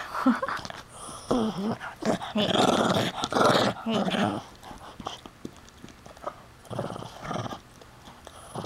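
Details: Puppy growling while guarding a chew toy indoors as a person reaches for it and asks to take it; rough, rasping growl bursts, loudest in the middle, mixed with a woman's coaxing speech.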